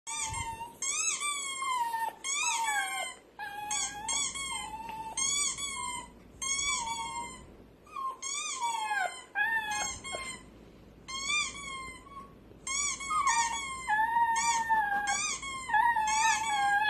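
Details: A puppy reacts to a squeaky toy sound effect with high, wavering whines and yelps in quick, uneven bursts.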